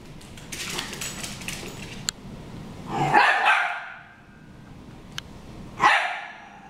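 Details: Dogs Harry and Ferris brawling indoors; two loud, broad barks about three seconds apart, with scuffling and clicking noises before the first.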